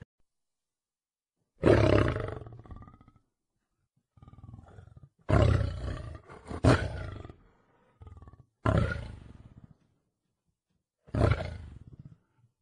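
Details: Wild lion giving a series of deep, harsh roaring bursts, five main blasts spaced two to three seconds apart, each fading into lower grunts, with silence between.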